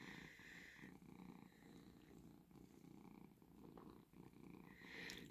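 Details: Relaxed pet cat at home, known for waking its owner at five in the morning to be fed. A continuous soft low purr hums throughout, with some faint higher household noise over it.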